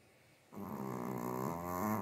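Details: Sleeping pet Chihuahua indoors, one low buzzy snore starting half a second in and holding steady to the end, rough and harmonic-rich with a slight rise in its final moments, quiet room otherwise.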